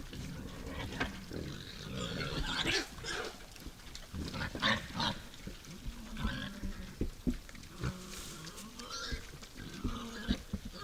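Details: Wild boars at a forest feeder after dark: a busy stream of deep grunts mixed with short, harsh squeals and snorts, coming in quick irregular bursts.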